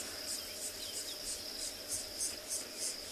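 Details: On a morning safari drive on 4 February 2021 at a South African game reserve, cicadas start their racket as the sun heats up: a steady, high, shrill drone with cricket chirps pulsing about three times a second and a few birds behind.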